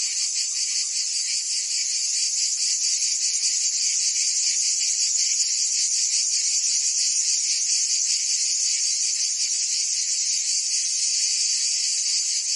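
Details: Summer cicada chorus from Provence in France, an unbroken shrill hiss-like buzz held at an even level, lightly pulsed, with no birds, wind or voices heard.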